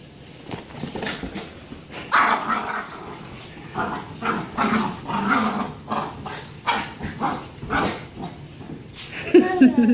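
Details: Dog playing rough with a pink ball it has taken over from a little girl, growling and giving gruff barks in rapid, uneven bursts of about three or four a second, with a voice urging it on.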